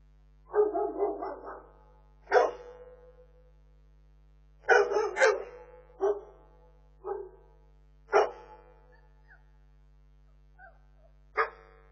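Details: Bernese Mountain Dog puppies giving sharp, noisy yips and short barks in irregular bursts, some followed by brief squeaky whines, with quiet stretches between outbursts and a low background hum.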